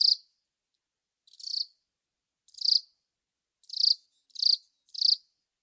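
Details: Long-snouted cricket (Velarifictous aspersus) producing loud, clear buzzy chirps, six in total, first spaced about a second apart and then quickening into a closer series of three.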